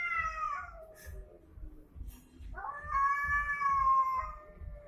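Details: Domestic cats fighting: a wavering yowl slides downward into a low growl, then a second loud sustained wail rises and holds, with a rhythmic low thumping underneath.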